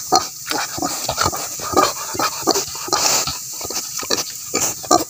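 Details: Native pigs kept for breeding on a farm, giving short, rough grunts and snorts in quick irregular bursts, several per second, with clattering and shuffling noises mixed in throughout.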